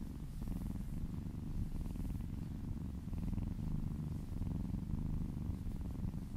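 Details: Short stretch of close, low, rumbling purr from a kitten being massaged and licking her owner's arm, fast even pulses swelling slightly in loudness.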